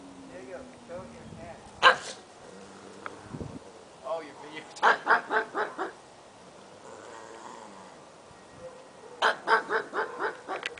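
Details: Pug yapping amid human speech: one lone bark, then a rapid string of about five barks midway and another run of around six near the end, with talking in between.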